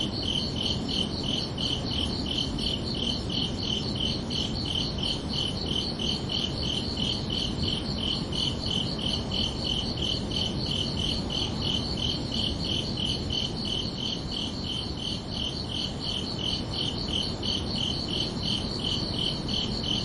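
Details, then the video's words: Gentle chirps of crickets in a peaceful summer night, with a rapid, regular pulse of piercing high notes sustained throughout and soft rumbling ambience below. "Calming Cricket Sounds for Relaxation"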